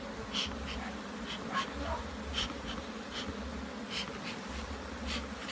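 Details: Hive bees buzzing in Jamaica while the hive is inspected, a dense continuous drone broken by repeated brief bright ticks and taps roughly every half second to second.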